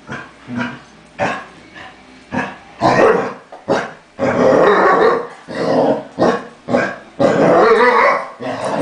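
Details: Lucy, a Basset Hound, making it known she is not pleased with another dog, Linus, who burps midway: repeated loud growling, grumbling barks in bursts roughly every half second to second, some sustained, with a person speaking afterwards.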